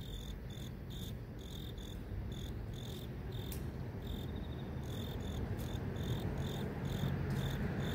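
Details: Grass insects in a city chirp in quick, high, pulsed bursts over a steady low rumble of traffic, with cars and mosquito-fogging motorbikes passing.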